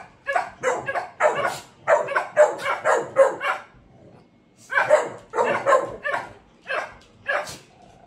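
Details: Dogs barking in rapid clusters of sharp yaps, a short quiet gap near four seconds before another burst of repeated barks and yips.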